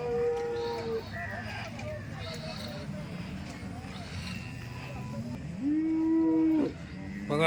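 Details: Dairy cows offered for sale at the Loni cow market, one giving a long, steady low moo near the end, with a shorter higher tone early on, amid a man talking in Marathi and crowd noise.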